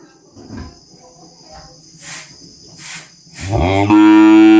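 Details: Calf on a small farm: quiet low rustles and a few soft noise bursts, then a loud harmonic bellow swelling up in the last second and held steady to the end.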